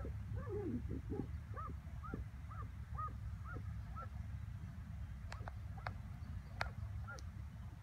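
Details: On 21 May 2017, a working terrier sliding into a groundhog burrow gives a quick run of short, high yips over a steady low rumble.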